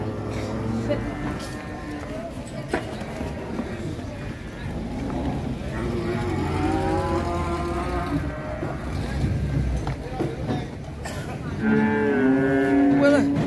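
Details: Sacrificial cow for Qurban, rampaging as it is unloaded from a truck at Siyono Harjo market, Indonesia. Drawn-out harmonic lowing swells mid-clip, then a louder moo near the end, over engine rumble and excited voices.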